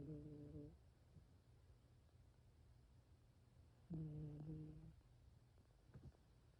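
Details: Domestic cat snoring: two low, buzzy harmonic snores roughly four seconds apart, each lasting under a second, with faint soft rustles between them in a quiet room.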